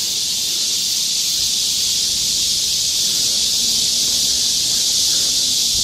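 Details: Dense wall of cicada song in the forest of Galsan Park, Mokdong, Seoul, during high summer. An even, piercing, hiss-like drone continues unchanged throughout at high volume, masking all other sounds.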